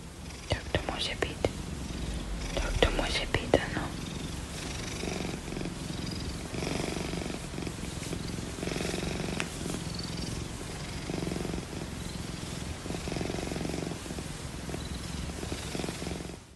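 Much of the sound is a deep, pulsing purr from an Oriental Shorthair cat. Softer, wavering meow-like notes rise over it now and then, with faint whispery human voices in the background.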